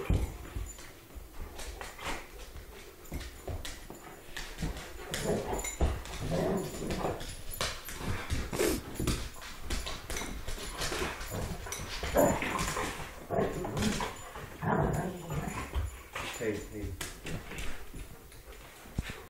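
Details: Young wolfdogs about a year old, Timber Wolf Malamute mix with Rottweiler Timber Wolf mix, play-fighting indoors: continuous grumbling growls, short whines and yelps over thumping, scrambling noises.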